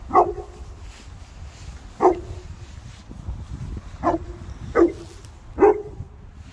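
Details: Boerboels, three South African mastiffs at play; five deep, short barks, roughly one every second or two, each a sharp burst with a low ringing tail, over a rumbling background.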